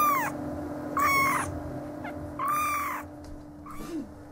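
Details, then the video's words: Eleven-day-old Siamese and Oriental kittens mewing: three loud, arched, harmonic-rich cries about a second apart, each rising then falling, followed by a fainter short mew, over a steady low electrical hum. "Siamese & Oriental Kittens - 11 Days Old"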